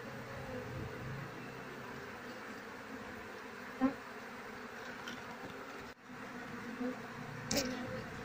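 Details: Queenless colony of Asian honey bees, its comb packed with honey and lacking larvae. A steady, low droning hum carries throughout, with a few brief clicks and knocks from handling the hive.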